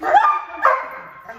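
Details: German Shepherd Malinois mix dog giving two sharp barks about half a second apart, the second trailing off in a softer whine.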